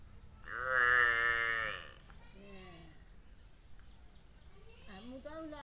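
A water buffalo calf gives a loud, wavering, nasal bleat lasting over a second, then quieter calls.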